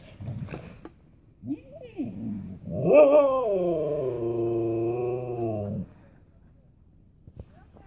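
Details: A Siberian Husky on its first time playing outside, with other huskies, gives a drawn-out, wavering, talkative howl lasting about three seconds, rising then holding level before dropping off, preceded by short grumbles and a human voice.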